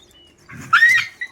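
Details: Street dog from a group kept with a puppy, the dogs under treatment for itchy skin; a short high whine rises then wavers before a brief final squeak, with a man's commands spoken nearby.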